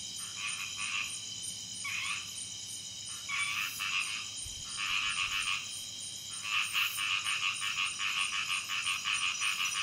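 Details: Common Sunda toad at about 800 m on Gunung Jerai, Kedah, Malaysia, recorded at night on 16 July 2014: buzzy, rapidly pulsed trills in bursts of about a second, growing longer toward the end, over a constant high insect whine.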